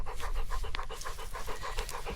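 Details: Charlie, a dog running to greet his owner landing by paraglider and waiting for a treat, pants quickly and steadily in short breathy bursts, about five per second, over a low outdoor rumble of wind.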